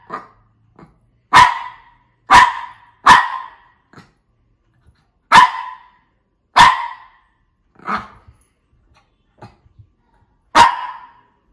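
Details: Shih Tzu (Canis lupus familiaris), bark.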